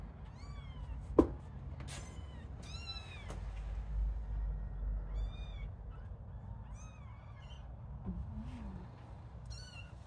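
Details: Playing little kittens meowing repeatedly, each call a short, high, arching squeak, coming in irregular bursts over about ten seconds, with one sharp knock partway through and a low hum underneath.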